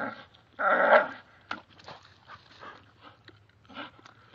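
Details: Oreo, a two-year-old male American Staffordshire Bull Terrier, tugging at and ripping down a tree, gives one loud, rough, harmonic growl lasting about half a second, followed by scattered quieter crackling and rustling noises.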